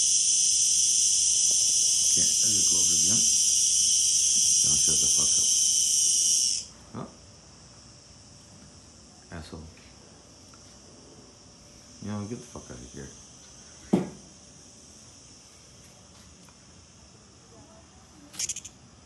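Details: A giant cicada gives a loud, steady, high-pitched buzz like a jet turbine, then suddenly stops; it stops when a person comes close and resumes once they leave, and the speaker wonders if it calls to attract females.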